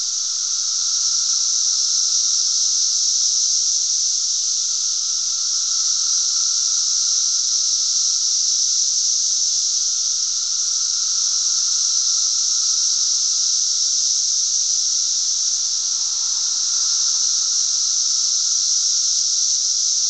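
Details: Loud cicada chorus recorded 10 June 2007 in Glen Ellyn, Illinois: an unbroken, shrill, hissing wall of sound holding level for the whole stretch, with a thin lower tone underneath and a soft low murmur near the end.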